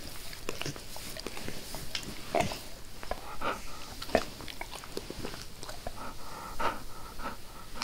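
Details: Dog named Max eagerly licking his owner's face indoors, no talking: wet smacking tongue sounds and soft clicks in an irregular rapid stream, with a few sharper slurps standing out.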